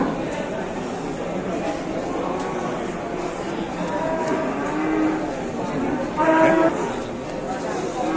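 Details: Among the largest cattle being unloaded by cattle farmers in Indonesia, one short, low, harmonic moo of about half a second rises above a steady wash of crowd chatter and voices in a large echoing space.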